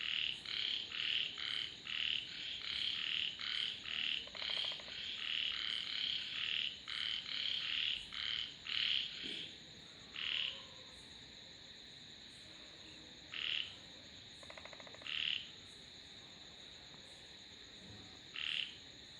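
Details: Frogs in a lively chorus of rapid, closely spaced croaks for the first half, then thinning to a few isolated calls spaced seconds apart, with a steady background hum.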